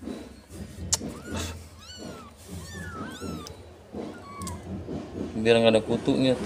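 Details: Domestic cat meowing while being cleaned of fleas: several short curved meows, some sliding up then down, repeated about every second, ending in a louder harsh drawn-out cry, with a woman talking and handling noise.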